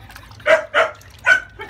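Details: Female French Bulldog puppy, 30 days old, being bathed to clear crusted scalp flakes, gives three short harsh yelps in quick succession, splashing and handling noise around them.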